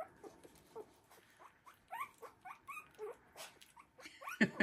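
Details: Three-week-old Havanese puppies from the "January Storm" litter playing in a newly expanded whelping box; many short high squeaks and yelps, rising and falling, scattered across the clip with a louder yelp near the end and soft rustling.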